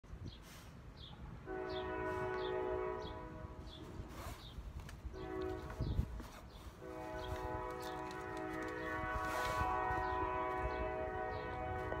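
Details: A train horn blares in long steady blasts over outdoor rumble and scattered clicks.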